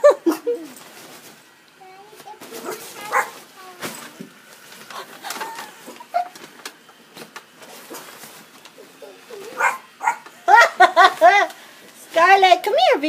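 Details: Scarlett, a pet Yorkshire Terrier, reacts in fear to an inflated Christmas penguin decoration indoors: scattered whines and yelps under a woman's coaxing voice, building to a rapid run of high, arching yips in the final seconds.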